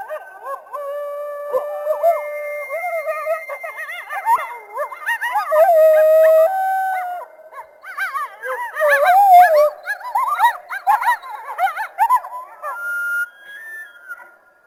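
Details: Coyotes in a chorus: several wavering howls overlap with rapid, yipping bursts, swelling and fading in waves with short pauses between.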